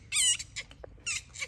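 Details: Otter at play in daytime, giving two bursts of loud, high, harmonic squealing squeaks about a second apart, with softer chirps between them in a quiet indoor space.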